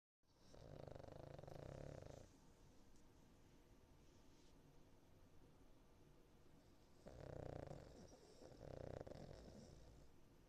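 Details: Cavalier King Charles Spaniel named Niko, a dog in foster care, snoring while asleep: a long, low rumbling snore for about two seconds, a quiet pause, then two shorter snores in close succession near the end.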